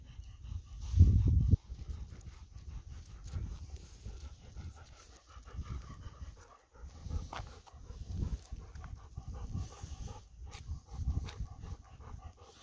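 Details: Golden Retriever named Kohaku, on a day it does not want to go into the mountains, panting outdoors: a loud burst of breath early on, then steady rapid breaths at about four per second, with some low rustling.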